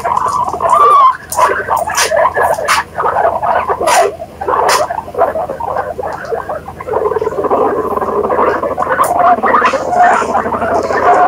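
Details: Guinea pigs chatter in a dense, gurgling stream of short squeaks and chirps. One brief higher whistled note rises near the start, with sharp clicks and rustles scattered throughout.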